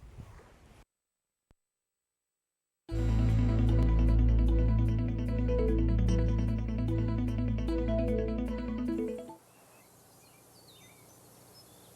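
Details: A burst of rhythmic instrumental music follows a moment of silence, then quiet outdoor ambience with only faint, indistinct high chirps.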